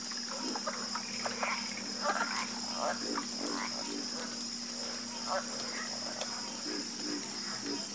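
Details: Many frogs croak at once, producing short throaty pulses and brighter overlapping calls packed closely together, while a constant thin high whine continues underneath.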